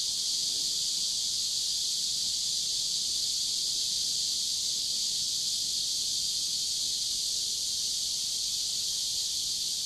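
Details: Cicadas singing by a river in warm summer, 23 July 2015: a dense, unbroken high buzzing drone that holds steady throughout, with no pause and faint low background rumble.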